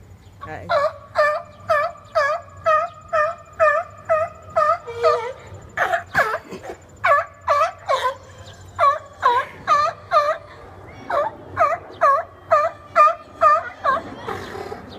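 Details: Seals arguing over space on the rocks give a long series of loud, nasal, dipping bleats, roughly two per second, with brief pauses and a few clicks and knocks between them.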